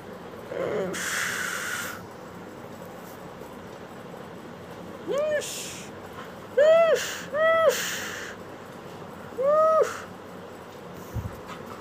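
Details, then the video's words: Pet Golden Retriever making a scattered series of brief arched, whistly whimpers, some in quick pairs, after an early stretch of breathy hiss and quiet background. "Golden Retriver Dog 🐶"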